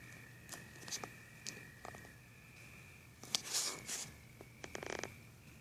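Crickets keep up a steady, high ringing trill beneath crackling bursts of storm noise.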